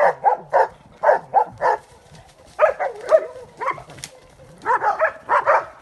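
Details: Transylvanian hound barking during training on wild boar: short bursts of loud, hoarse barks in quick clusters of two to four, separated by brief pauses, with a few higher yelping notes in the middle.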